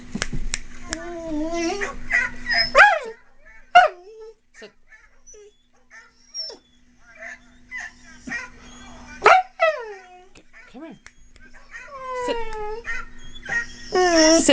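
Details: Pet dog howling on hearing two dogs in distress played from another recording, communicating that someone needs help: wavering, sliding howls rising and falling, some long and drawn out, mixed with whimpers and a steady electrical hum.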